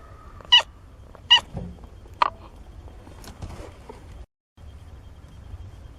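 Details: Seventeen-day-old kittens from Nina's litter of four, mewing indoors: three short, high, sharp mews in quick succession over the first two and a half seconds, then fainter squeaks and soft rustling.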